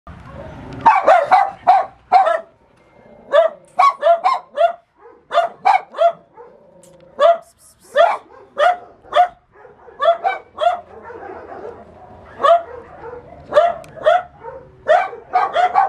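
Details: Dogs described as shy give a run of sharp, mid-pitched barks in quick bursts, some spaced about a second apart, with short pauses and softer whining yips between the louder barks.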